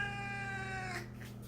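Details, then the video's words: Siamese cat meowing, a breed described as a loud meower whose voice carries far, as though a ghost were in the house; one drawn-out, fairly level, quiet tonal meow lasting about one second, then fading. "Um siamês parece que tem fantasma na casa, ele fala, ele grita, você ouve de muito longe, né?"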